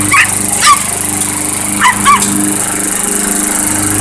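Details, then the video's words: Chihuahua barking at a running lawnmower: four short, high yapping barks in two quick pairs, then the mower's steady engine drone carries on alone. "Lawnmower vs Chihuahua"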